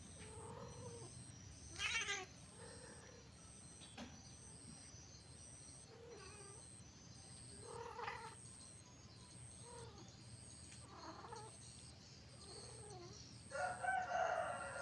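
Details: Cat giving a string of short, low meows and drawn-out wailing cries spaced a second or two apart. They are quiet against a steady background hum and a constant high electronic whine, with a louder harsh cry near the end.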